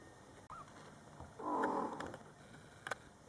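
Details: Mother cat Coco with her Scottish Fold kittens, born July 22, 2012, in their first month, talking to the kittens: a short high rising mew, then a longer, louder, mid-pitched murmuring meow lasting under a second, with faint clicks after.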